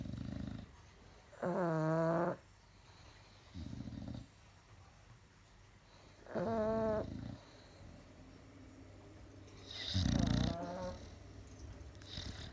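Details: Bulldog and pug asleep, snoring loudly; long harmonic-rich rasping snores with wavering pitch every few seconds, alternating with shorter low grunting breaths, on a hazy Sunday afternoon.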